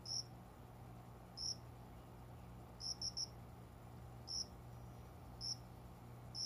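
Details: At dawn, a cricket that found its way to plants beside a shut window chirps in short, bright, high notes, mostly isolated with one quick triplet, spaced about a second apart over quiet room hum.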